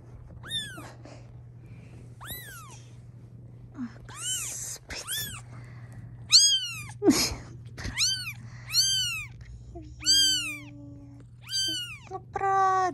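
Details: Domestic mother cat objecting as her kittens are filmed, giving a series of high, arched, strongly harmonic meows at irregular intervals, about sixteen per minute, while a woman coos affectionately in Russian nearby.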